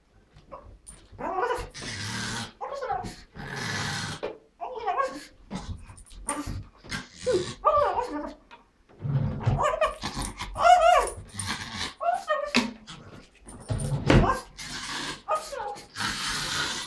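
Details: Female Pekingese indoors, worked up with excitement before going for a walk, gives rough warbling growls and gobble-like yodels in short bursts separated by pauses, mixed with a woman's speech.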